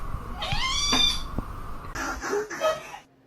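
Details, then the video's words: Domestic cat giving one drawn-out meow that rises and then holds steady for nearly a second, followed by short scratchy rustling noises and a person talking nearby indoors. "cats meowing"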